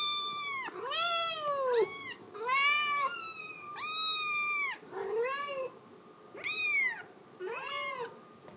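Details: Insistent crying from a Scottish Fold kitten that wants to go outside, a steady series of loud, bending meows roughly every second, some long and falling, others short and plaintive, in a quiet room.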